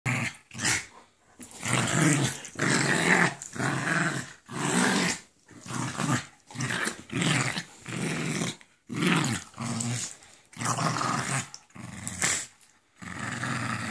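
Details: Jack Russell Terrier indoors attacking a Doberman for lying on its bed, bad-tempered; rough snarling growls in repeated bursts of one to two seconds with short gaps, broadband and harsh, continuing throughout.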